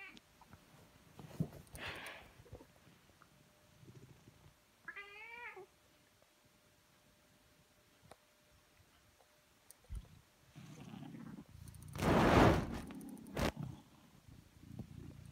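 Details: Domestic cat producing a single clear meow, first rising and then falling, around the middle. Before and after it come rustling, soft thuds and a loud burst of noise.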